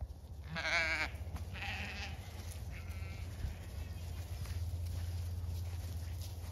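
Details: On an Irish farm in County Kilkenny, Zwartbles ewes head for a new hay bale the day after a frost; one loud tremulous bleat, then fainter answering bleats, with a steady low background rumble.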